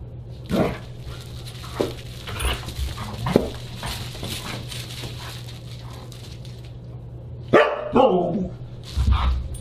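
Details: Siberian Huskies at a dinner party on December 29, 2022: scattered barks and grumbling calls amid clatter, with a louder burst of barking near the end and a steady background hum.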